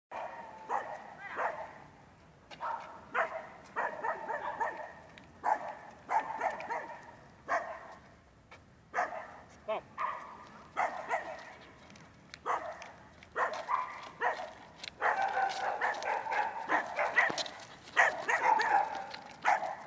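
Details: Rough Collie puppy, Manakel Lakefield Talking Blues, during training on 13 April 2015, giving short harmonic barks and yelps in irregular bursts, with some human speech mixed in.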